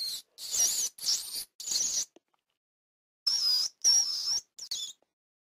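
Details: Rat giving high, thin squeaks in short bursts, three near the start and four after a pause of about a second, some bursts with a wavering whistled tone.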